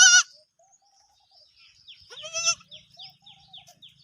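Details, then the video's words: Desi Sindhi goats, a kid and an adult: a short, loud, quavering bleat at the start and another tremulous bleat after a pause, with small birds chirping repeatedly and a faint low rumble underneath. "Goat Baby Sound Desi Goat Baby And Big Goat Desi Sindhi Bakri"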